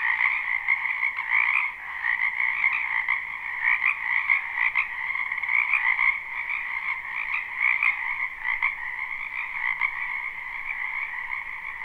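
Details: Many frogs croaking in a spring wetland behind a home, a live unlooped recording: a thick continuous chorus with brief louder bursts of individual callers rising above the steady trilling mass.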